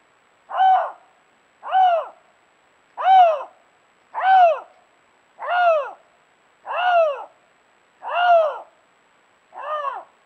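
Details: A Canada lynx gives a series of short, arching, mew-like calls, roughly one every second or so, recorded in February 2022 during rare-carnivore monitoring.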